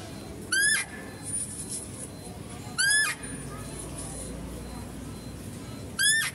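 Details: Zoo-kept female deer calling near a male being fed. Three brief, piercing, upward-rising squeals come roughly every two and a half to three seconds, with faint murmuring and steady low rumble in the background.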